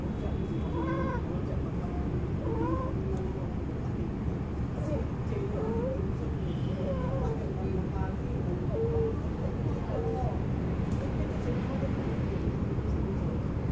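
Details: Urban cats, including a white blue-eyed one, calling while mating beneath a car; irregular wailing yowls rising and falling in pitch, some short and clipped, against a constant low hum of traffic-like noise.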